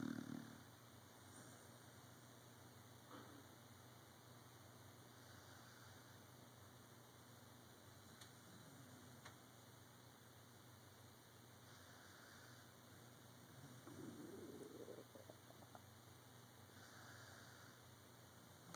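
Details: Sleeping dog snoring softly indoors, low raspy breaths returning roughly every five to six seconds, with a steady electrical hum throughout the quiet room.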